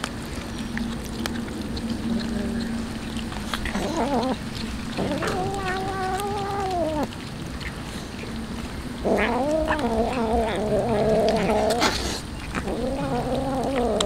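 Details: Hungry street cats fed tuna give a series of drawn-out, wavering meows, first one long call midway, then several overlapping rising-and-falling cries near the end, with a steady low hum and faint clatter underneath.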